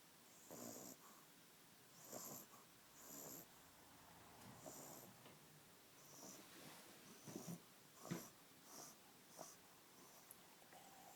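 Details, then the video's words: Australian Bulldog puppy asleep, snoring with wheezy, snuffling breaths about once a second. Each breath has a raspy, hissing edge, and a few louder snorts come near the end against a quiet background. "Puppy Australian Bulldog Snoring"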